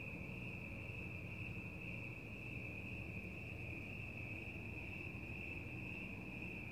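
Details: Night-time cricket chorus outdoors, heard as one continuous high buzzing trill at a fixed pitch, slightly softer, laid over a heavy low hum of distant background noise.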